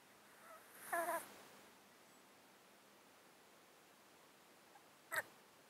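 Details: Close-miked domestic cat asleep in a box, breathing noisily due to an underlying disease that makes it sound snotty and sneeze constantly; one rattling, bubbly breath, a long quiet pause, then a short sharp snort.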